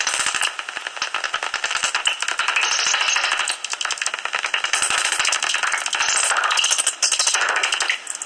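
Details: Common noctules at a roost in a tree hollow near Ibbenbüren, Germany, on 17 August 2019, fifteen minutes before sunrise: a dense, crackling stream of rapid clicks and high squeaky chatter, swelling and dipping in waves.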